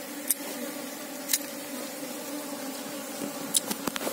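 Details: Asian honey bees give a steady droning hum with a low tone and a faint overtone throughout, alongside scattered clicks and knocks.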